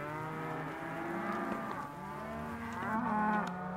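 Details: Young Hereford and white-faced calves offered as one sale lot, a long sustained moo with a rich stack of harmonics, followed by a second rising bawl near the end.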